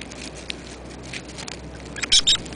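A pair of sharp, high-pitched squeaks from a hedgehog stands out near the end, each brief and slightly chirping. Before them there is only faint rustling and shuffling.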